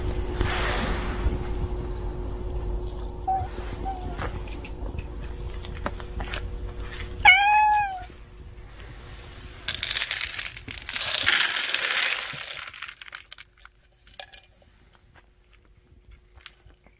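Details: A family of street cats gathered at a meal table. A single rising-then-falling meow with strong harmonics stands out midway, among steady hum, rustling and scraping noises before and after.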